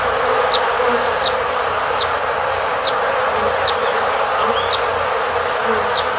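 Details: Honey bees hum steadily in a dense, droning swarm buzz with faint higher ticks over it, recorded beside a beehive entrance in Korea, with some bird calls and passing voices.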